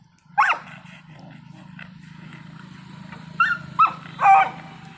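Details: American bully and beagle fighting, the beagle dominating: a sharp, loud yelp near the start, then a burst of short yelps and a longer strained cry toward the end, over a steady low hum.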